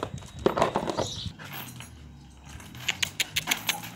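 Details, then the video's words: Hungry dog waiting for food gives a short burst of strained, whimpering vocal sounds in the first second, then goes quiet; a run of sharp, evenly spaced clicks or taps follows near the end. "THE CUTEST AND HUNGRY DOG WAİTİNG FOR FOOD"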